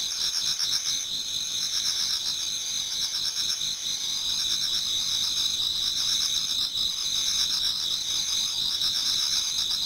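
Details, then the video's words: In a Japanese garden as autumn night turns to dawn, many insects sing together: bright, rapid pulsing trills fill the high range nonstop, with quieter rhythmic chirps repeating beneath. "Autumn Insects voice Towards dawn"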